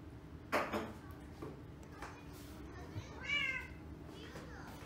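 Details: Lola, a rescued female Persian cat now one year old, meows indoors on her birthday: one short, bright, slightly rising meow after a few soft thumps and a brief human-like sound, over a quiet room hum.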